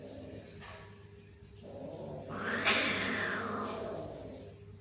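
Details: Cats hissing and growling at each other; a low growl gives way to a broad breathy hiss that swells and fades over about two seconds, with a steady hum underneath.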